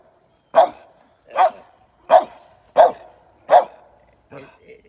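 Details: A merle American Staffordshire Terrier game dog barking: five deep, loud, single barks spaced about three-quarters of a second apart, followed by two softer, shorter ones, in an otherwise quiet setting.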